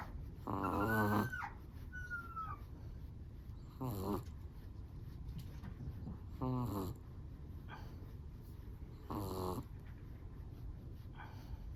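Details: Sleeping Chihuahua producing a series of squeaky, whistling snores, each under a second, spaced two to three seconds apart with a faint rising squeak between. Soft low breathing runs throughout.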